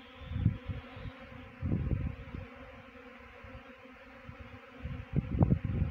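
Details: Low humming drone of a honey bee swarm at a trap in Chakrata, Uttarakhand, overlaid with three bursts of muffled bumping and rustle.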